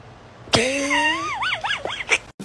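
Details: Blue-eyed Siamese cat meowing indoors: one drawn-out, strongly harmonic meow lasting nearly two seconds. It rises steadily, then wavers up and down in several quick bends before ending with short clicks.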